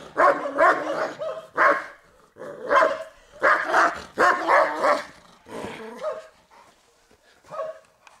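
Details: Guarding test of a Turkmen Alabai, Central Asian Shepherd Dog, defending territory: deep, hoarse barks in fast pairs that slow and fade toward the end into a few scattered, quieter barks.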